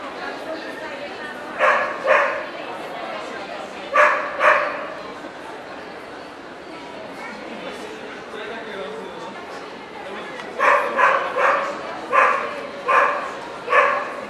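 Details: At a dog show in Ostrava, 14 April 2012, a Welsh Corgi (Cardigan or Pembroke) barks in two bursts, a double pair early on, then a run of five quick barks, with murmuring voices in between.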